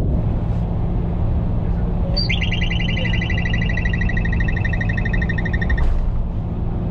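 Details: In a parking deck in Atlanta, a groundhog hiding under a vehicle gives a high, bird-like trilled whistle of fast, even pulses lasting about three and a half seconds, over a steady low engine rumble.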